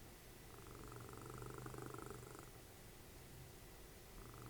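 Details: Deep, steady snoring from Dessie, a cuddly pet cat and mother of Fritjof, cuddled up while TV is watched: one long, slow, rumbling breath swells and fades, then another starts softly at the end.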